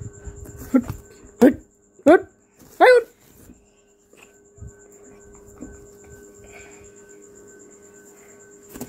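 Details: Baby goat in a village with a small boy: three short, wavering bleats in quick succession, each sliding up then down, followed by quiet background with a steady electrical hum.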